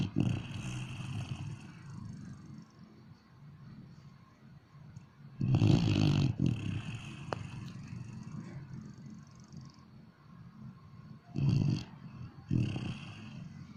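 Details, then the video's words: Dog asleep and snoring, with quiet, low breathing rumbles broken by three louder, grating snores, the longest lasting nearly a second, spaced several seconds apart. "Snoring Dog"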